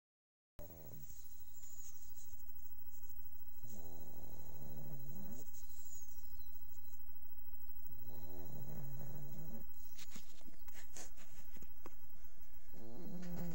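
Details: Sleeping dog snoring indoors, recorded quietly so as not to wake it: four drawn-out, buzzy, harmonic-rich snores spaced about four seconds apart, with soft breathy noise between them.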